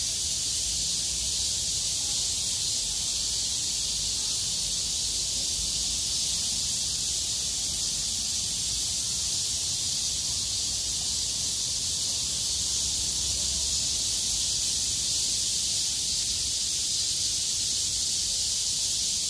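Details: After heavy rain gave way to clearing skies on 6 August 2020, cicadas sing together: an unbroken, very high, hissing drone, even in loudness for the whole stretch, with a soft low background rumble.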